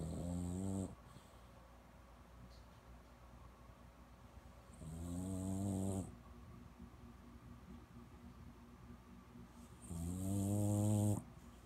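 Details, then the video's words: French Bulldog in Palo Alto, California, snoring and grunting: three long, low, rattling snorts of about a second each, spaced roughly every five seconds, with quiet breathing between them. "Farting Grunting French Bulldog"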